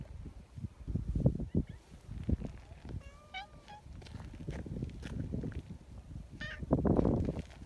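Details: Community cats at a neighbourhood cat gathering, among them a newly joined tortoiseshell and a chubby, kind-natured brown tabby; brief harmonic meows sound midway and again near the end, amid rustling, handling noises and low background rumble.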